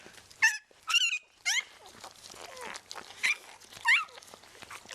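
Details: Newborn vizsla rottweiler puppy, Bailey's sixth pup, just after birth, giving sharp, high squeals that rise then fall, about five in quick bursts over five seconds, with soft rustling between.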